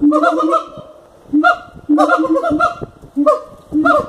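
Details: Siamangs at Cotswold Wildlife Park give loud, honking barks in short clustered bursts, each note rich and nasal.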